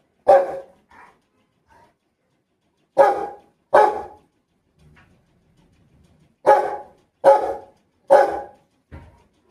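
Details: Rottweiler kept as a pet barks in short bursts: a single bark, then a pair, then a run of four sharp, deep barks, separated by pauses of a few seconds with soft faint sounds between; otherwise quiet.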